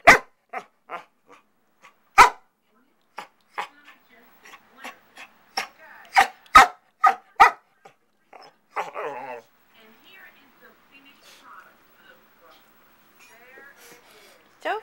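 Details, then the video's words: Pet dog indoors in a messy bonus room, giving a long series of short, sharp barks, some loud and some soft, with a brief rough growly stretch midway and quieter sounds near the end. "Sophie Barking"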